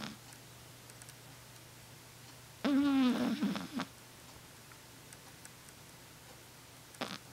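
A single snore from a Shih Tzu lasts about a second, a harsh, buzzy rattle that wobbles in pitch. The rest is near silence, with a faint hum and a brief click near the end.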